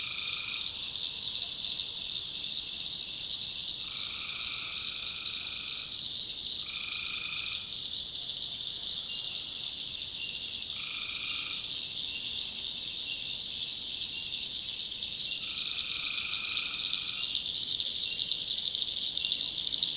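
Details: Tree frogs at night in a backwoods swamp of North Carolina: five level trills, some short bursts and some lasting about two seconds, irregularly spaced, over a constant shrill chorus that swells slightly toward the end.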